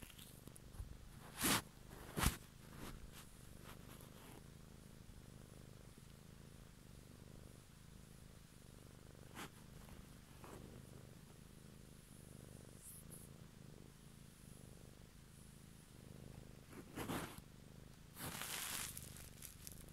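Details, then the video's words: Close-up purring of a pet cat in the evening, a low rhythmic rumble rising and falling with each breath, broken by several sharp clicks and rustling handling noises near the start and end. "ASMR Cat song"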